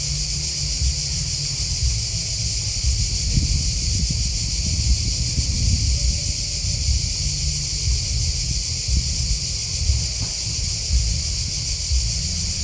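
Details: Continuous cricket chirping outdoors, a shrill, rapidly pulsing drone that stays level from start to finish, layered over deep rumbling noise and faint rustling.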